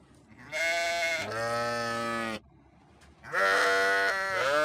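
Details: Sheep giving two long, loud bleats, the first dropping in pitch partway through and the second higher and shaky, with a pause between them.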